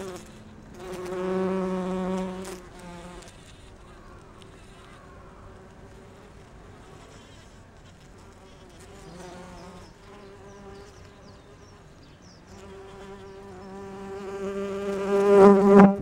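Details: Several similar-looking bees, resembling bumblebees, gather pollen on rhododendron flowers, with some differing in wingbeat pitch. A low, steady droning hum swells at the start and again toward the end, rising loudest in the final seconds, with quieter buzzing between.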